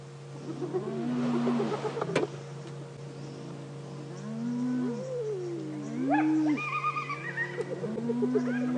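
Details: Spotted hyenas that have stolen a lioness's kill at a noisy scene on a morning safari drive, June 2016; rising and falling whooping calls with chattering giggles overlapping, over a steady engine hum.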